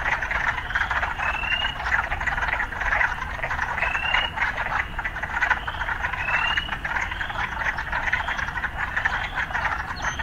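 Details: Frogs in an urban setting form a thick, continuous croaking chorus, with occasional upward-slurred chirps standing out about once a second over the drone.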